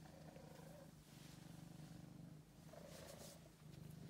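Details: Low continuous rumbling purr from Angelus, a male house cat found starving in a basement and taken in as a pet, the pulsing hum dipping briefly around each breath.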